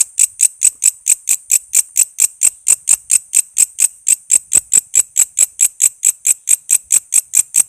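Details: Walang kece cicada giving a rapid run of shrill, metallic chirps around two per second, a recording meant to teach songbirds like murai, lovebird, cucak ijo and kacer.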